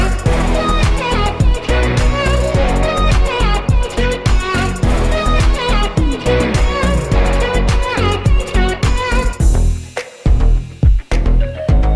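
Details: Loud instrumental music with strings and steady percussion plays throughout, with no animal calls standing out.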